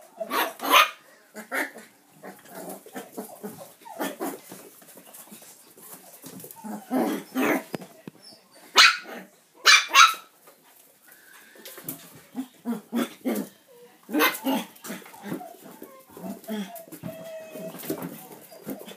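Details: Manchester terrier puppies having fun at play, giving short sharp barks and yaps in scattered bursts, some in quick pairs, with softer scuffling and movement noise in between.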